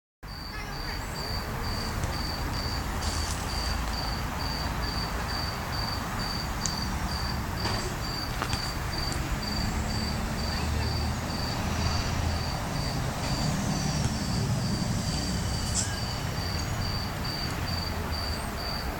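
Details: Cricket heard in December, giving thin, high chirps repeated steadily about four times a second throughout, over a constant low rumble of traffic with a few faint knocks.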